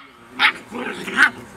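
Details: Rhodesian Ridgeback puppies giving two sharp, high-pitched yips, the second louder, with a softer murmur of puppy noise between them.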